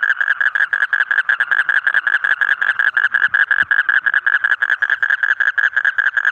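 A frog gives a rapid, steady train of nasal, croaking pulses, several each second.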